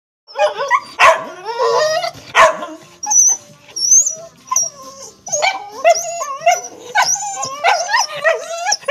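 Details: Dog barking: a few loud sharp barks, then a string of high, wavering yips and whines with bending harmonics, fairly irregular, close and clear.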